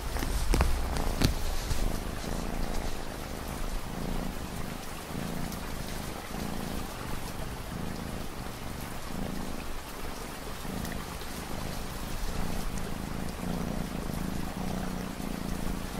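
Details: Purring cat in an ambient rain mix, the low rumble rising and falling in rhythmic pulses about once a second over a long steady stretch, with a light patter of raindrops throughout.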